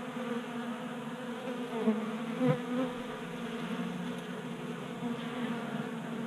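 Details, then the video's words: Honey bees at a tabletop 3D-printed feeder in a Colorado garage, January warm spell. Constant buzzing hum of multiple bees, pitch wavering slightly, with a brief soft knock midway. "45 Minutes of Honey Bees Feasting from 3D Printed Bee Feeder ASMR"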